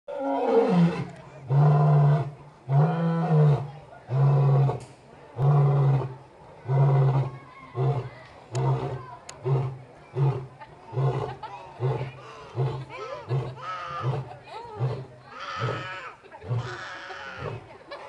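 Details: Captive lions at San Diego Zoo's Elephant Odyssey calling: a roaring bout opens with long, deep, moaning roars, then shortens into a series of rhythmic grunts about one per second that fade gradually, with faint voices nearby.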